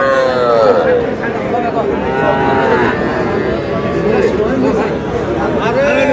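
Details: Young bull and heifer calves, about three to four months old, for sale on a Tuesday, 21 July, at the twice-weekly Aftabganj cattle market in Noakhali, Bangladesh. Several drawn-out, wavering, falling moos rise over dense crowd chatter and bargaining voices.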